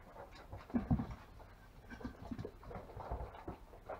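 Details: Five-week-old longhaired German Shepherd puppies from a litter of five at a kennel; a couple of low, short whimpering yelps near the start, then scuffling, soft snuffles and handling clatter through the rest.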